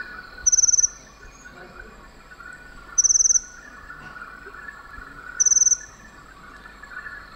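A cricket gives brief, high, pulsed chirps, each a quick trill of several beats, about every two and a half seconds, over a steady low hum.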